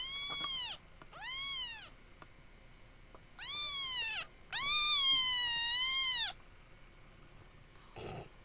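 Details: Young kitten Dante meowing insistently: two shorter meows, then a loud one and a long, sustained wailing meow, followed by a brief rustle.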